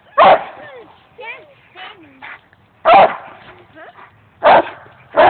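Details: Loud, abrupt barks come from a dog playing on park play equipment, four in quick bursts with pauses between, while a person's voice chatters in the gaps.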